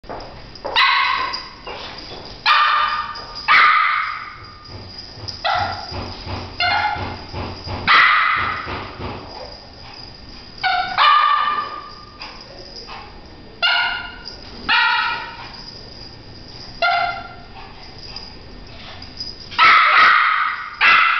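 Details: French Poodle named Bruno chasing a flashlight spot indoors, barking excitedly in short sharp yips and barks, about a dozen bursts spread irregularly across twenty seconds with brief quiet gaps between.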